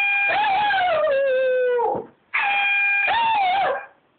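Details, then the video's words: Dog howls along with an air horn app: a wavering howl sinks steadily in pitch under a flat horn blast, then a second horn burst carries a brief rising-and-falling howl. "Dog howling to air horn app"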